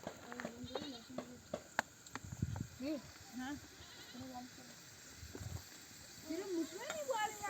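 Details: Nomadic flock returning from pasture, where ewes bleat to bring their lambs in for nursing: short, wavering bleats come singly, with gaps between them. Near the end a louder, rising call is heard, over a soft background of rustling and distant voices.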